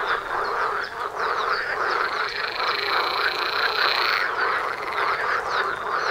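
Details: Frogs calling en masse at a pond outside a front door, thick continuous croaking with a bright high trill over the first four seconds.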